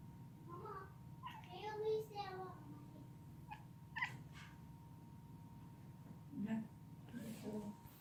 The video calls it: Strange sounds British shorthair cat